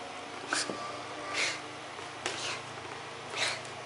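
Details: A male French Bulldog–Pekingese mix, excited after his first bath, gives short, breathy snorts roughly every second in a quiet room.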